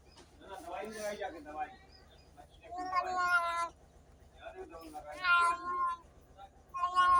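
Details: Cats and kittens meowing, several softer, rough-edged meows of uneven length spaced across the recording, with a steady low hum in the background.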